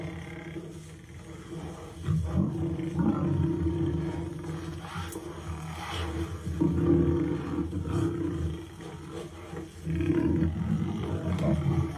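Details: Lion teasing a buffalo, heard in the aftermath: repeated deep, throaty roaring and growling, heavy low rumbles swelling in waves every few seconds over a continuous low background hum.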